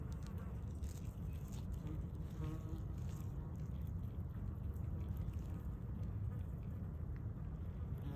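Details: Invasive Asian hornet in fight mode, its wings giving a continuous deep droning hum for eight seconds, even in level, with a short faint higher-pitched whine partway through.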